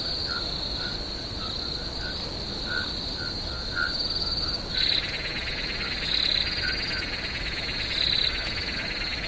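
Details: Swamp crickets at night produce a steady, piercing high trill; midway a denser buzzing layer joins, while short lower chirps sound sporadically at first and loud swells recur every couple of seconds.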